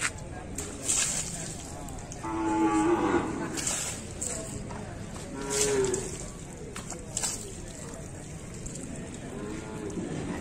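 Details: Bali cattle during bathing, with splashing and handling noises throughout and a couple of medium moos, the clearest a drawn-out tone around the third second, another shorter one near the sixth.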